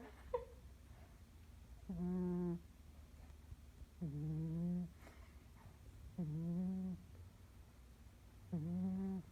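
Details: A dog snoring in a small room: low, buzzy, tonal breaths with a slight upward bend, four of them spaced about two seconds apart over quiet background hiss.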